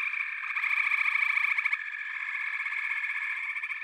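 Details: Many frogs trill together in a loud, rapid, buzzing chorus. Fast pulses blend into a steady mid-high drone, slightly louder in the first half.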